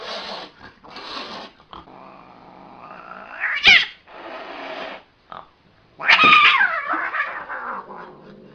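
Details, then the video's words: Angry cat letting out breathy hissing bursts broken by short gaps, a sharp rising yowl midway, and a loud harsh descending wail toward the end. "ANGRY CAT"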